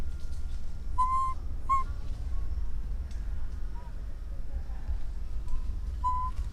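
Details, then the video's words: An orphan baby monkey cries out for its mother with loud, pure whistled coos. Two come close together early on, a softer wavering one follows, and a final coo arrives near the end. Low background rumble throughout. "The sound of a baby monkey calling to his mother"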